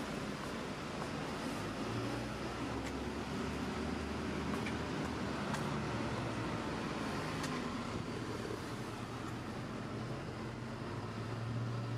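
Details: Continuous street traffic roars throughout, with engine rumble and a few faint clicks, and no meowing or other animal call.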